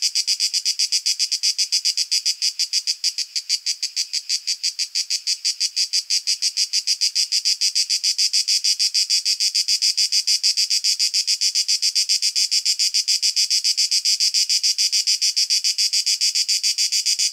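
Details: Singing male cicada in nature, recorded with a shotgun condenser mic: a long, continuous grating drone of rapid, regular pulses that briefly softens near the start, then holds steady, with a clean background.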